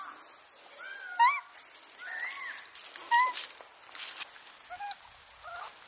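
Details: Wild Japanese macaques of a troop of about 350 at Awajishima Monkey Center, Sumoto, Hyogo, Japan, home of the baby Miu, 16 March 2024: several short tonal coos, some arching up then down, with clear overtones, at irregular intervals over soft rustling.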